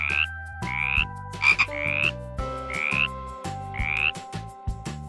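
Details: Frog giving a series of short raspy croaks, about six in five seconds, each a quick rising rattle, heard over steady background music with instrumental tones.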